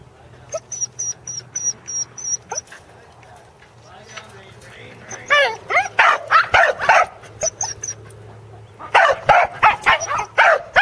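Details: Corgis Teddy and Jack on their second attempt at herding sheep, Island Crossing Farm, Arlington, 27 March 2011. A quieter opening with a thin high tone and low murmur, then bursts of sharp, rapid barks clustered around the sixth and tenth seconds.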